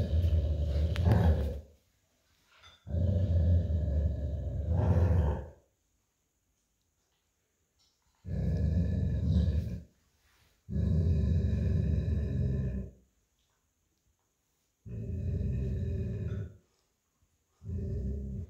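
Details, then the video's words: Golden Retriever, old and lazy, growling to let an American Akita puppy know he wanted the plush toy during tug-of-war on a tile floor; six deep throaty growls of two to three seconds each, with silent gaps between them. "Lazy Old Golden Retriever Playing Tug of War With American Akita Puppy Over Plush Toy & Growling"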